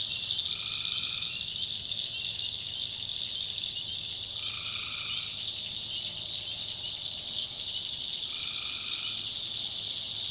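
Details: Tree frogs calling at night in a North Carolina backwoods swamp: three mid-pitched, slightly buzzy calls of under a second each, spaced about four seconds apart, over a constant shrill, high chorus of insects or frogs.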